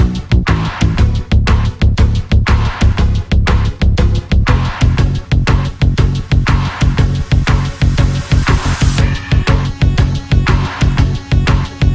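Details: Driving electronic dance music with a steady four-on-the-floor beat at about two beats per second, heavy bass, and a rising sweep before a drop near nine seconds; no animal voices.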